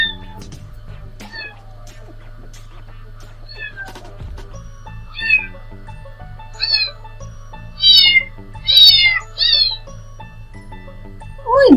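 A kitten gives a series of thin, high, wavering meows over a low steady hum.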